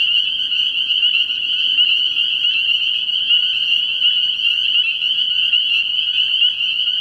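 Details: Early-year frog pond at night full of spring peepers, their bright high-pitched peeps piling on top of one another into a continuous, even, jingling chorus with no pauses.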